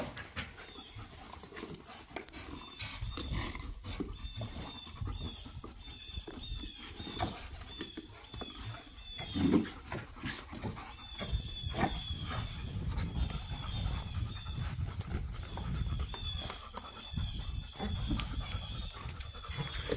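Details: Low, rumbling growls from pit bulls and a Malinois roughhousing in a back yard, play fighting and tug of war with toys; a steady deep rumble with one sharper burst near the middle, and faint high squeaks above.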